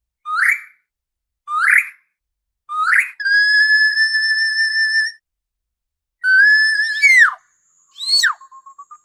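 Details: Orca vocalizing: a series of short, rising whistled calls, then a long steady tone of about two seconds, a drawn-out call bending sharply downward, and a final brief call trailing into rapid clicks; no other sounds.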